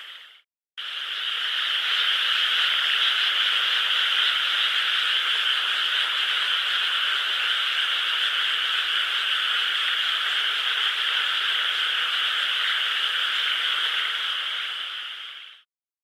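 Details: Many frogs in a nearby rice field, 12 May 2016, with a crescent moon overhead. Their continuous, even chorus of rapid trills starts abruptly and runs without pause for about fifteen seconds.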